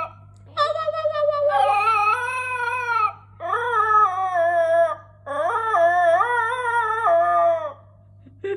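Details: Husky puppy singing in a small room: three long, rich, wavering howls separated by short pauses, each bending up and down in pitch, with a brief yelp at the very end.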